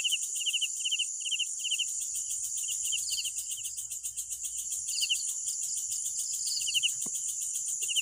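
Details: Crickets at night give quick pulsed chirps in irregular bursts, pausing briefly mid-clip, layered on a continuous shrill chorus; fainter higher chirps answer in the background.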